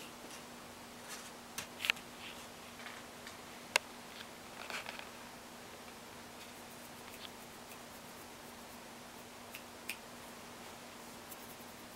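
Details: A quiet indoor room holds only scattered soft clicks, a few taps and a steady low electrical hum, with no animal voice.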